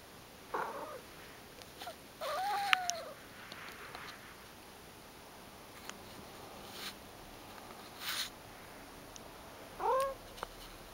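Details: Sleepy Ragdoll cat named Mojio, resting under a sofa indoors, answering the camera with soft short meows: one curved mew near the start and two stacked rising-falling mews near the end, with quiet room hiss between.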